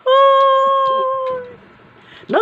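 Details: Pet dog, described as angry and restless, giving a long, steady, tonal howl held for about one and a half seconds and slowly fading, with faint background sounds and a short sharp noise at the end.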